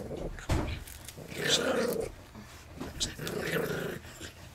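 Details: Family dog, a Chihuahua–Miniature Pinscher cross, growls while guarding his peanuts; low rumbling growls swell and fade in bursts, mixed with a person's voice indoors.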